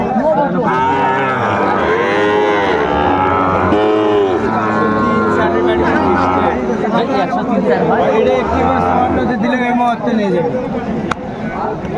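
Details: Sahiwal bull calves at a Cumilla cattle market, Bangladesh, in August 2024, mooing repeatedly: short, arching, nasal calls follow one another over a dense background of voices and market bustle.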